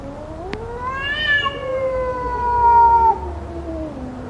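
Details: Domestic cat in a fight: long drawn-out yowl with stacked harmonics, rising slightly then holding steady near the middle before dropping off at about three seconds, with a sharp click near the start and a faint low hum beneath.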